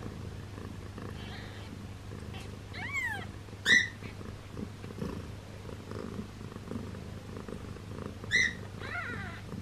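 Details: Newborn kitten with a swollen belly gives short, high, thin mews, each arching up then down; around five squeaks scattered over ten seconds, two louder than the rest, over a steady low hum.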